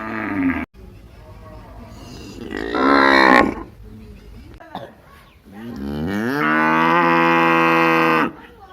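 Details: A village cow moos several times: a short call, a rising moo near three seconds, then a long steady bellow of about two seconds, with quieter background noise between them.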